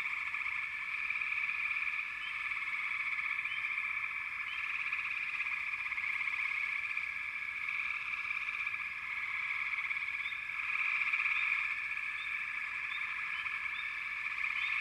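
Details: Frogs calling together in a dense, unbroken chorus of mid-pitched trilling, with brief upward chirps scattered above it and a swell in loudness around eleven seconds.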